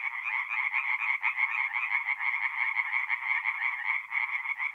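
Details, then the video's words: Tree frogs singing at night at a forest pond in north-east Italy in mid April: a dense, continuous chorus of rapid pulsed croaks, overlapping callers forming a steady rattling trill with no pauses. "relaxing forest pond by night with singing tree frogs"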